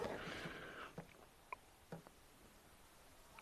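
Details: Faint outdoor background noise with a few soft knocks and clicks, and no clear animal calls.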